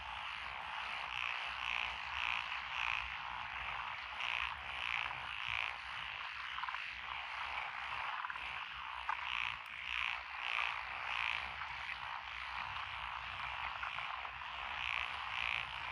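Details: Rice-paddy frogs among lotus fields in Echizen City, Fukui, Japan, on a June 2021 night-style recording; quick series of bright croaks come in clusters of three or four over a thick continuous chorus.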